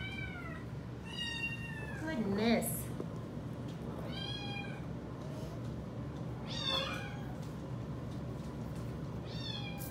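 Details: Widget, a female Domestic Shorthair rescue cat available for adoption, meows repeatedly over ten seconds, five or six short wavering cries, while a person talks softly to her indoors, October 2020.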